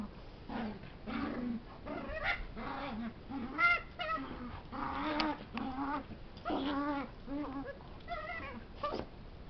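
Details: While wrestling a larger dog, a puppy gives a run of funny noises: wavering whimpers, short yips and rising-falling whines in irregular bursts, a few sharper squeaky peaks among them, over soft indoor scuffling.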